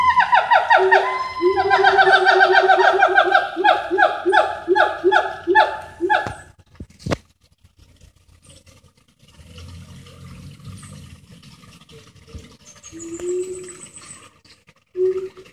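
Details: Siamang gibbons singing and jumping in rainforest beside a highway in Peninsular Malaysia; one sings a fast run of loud, harmonic, repeated notes, then falls quiet.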